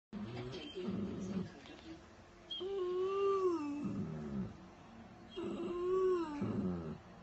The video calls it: Weimaraner crying